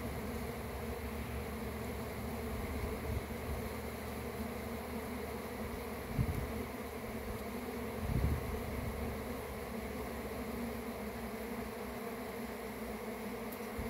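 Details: Droning buzz of a honey bee swarm tended by a beekeeper: a steady, rumbling hum of many wings with stacked low tones, swelling slightly twice midway.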